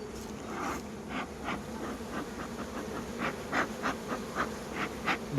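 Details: Honey bees at a beekeeper's hives in Cambodia give a steady, low droning hum, with brief brighter bursts rising above it.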